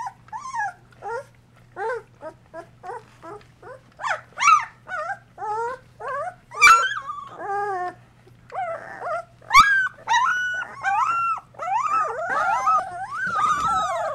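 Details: Two-week-old Golden Retriever puppies in a whelping box, cared for by mother Mercedes, utter a steady series of short downward-curving whines, each about half a second apart, building to longer overlapping cries from several pups, with a couple of sharp knocks.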